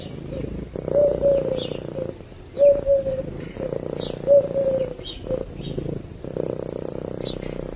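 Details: Purring from a sleeping cat, a low buzzy rumble in repeated breath-length bursts, with short thin whistled notes over it and faint bird chirps.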